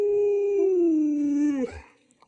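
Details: Alaskan Malamute named Lulu, a pet dog at home, gives a long, steady, tonal howl lasting about one and a half seconds. The pitch drifts slowly downward, then breaks off abruptly, followed by a brief soft rustle.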